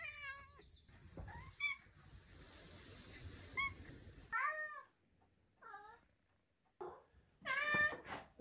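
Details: Indoor Maine Coon cat chatting with its owner: a run of about seven short harmonic meows and chirps, several bending up then down, some clipped and trilled, spaced irregularly with quiet gaps and faint room noise.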